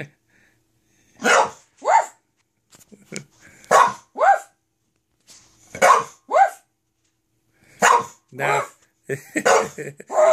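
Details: English Bulldog at home, upset at being left alone while her owners were in the office, barking on a person's urging; short barks in pairs about every two seconds, each a quick falling yap, with a man's voice between.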